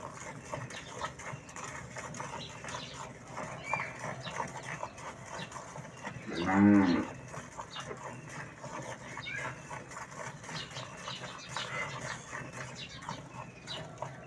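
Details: Farm dairy cow, said to give over 18 litres of milk, before milking: a single short, deep moo under a second long rising out of steady barn noise and clatter.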